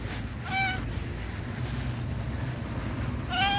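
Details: Young tabby cat sitting on a park bench gives two short, sweet meows, one near the start and one at the end, separated by steady low outdoor rumble.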